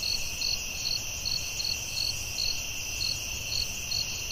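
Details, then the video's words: Forest crickets at night produce evenly spaced high chirps, roughly two or three each second, layered on a constant ringing insect band and a quiet low murmur. "Soothing Cricket🦗 Sounds at Night"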